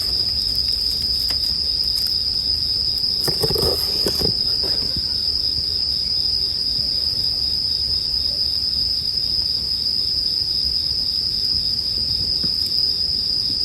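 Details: Bell crickets sound over campfire crackling in sleep music. Their high, unbroken ringing tone runs the whole stretch, and a brief cluster of louder fire pops and snaps rises midway.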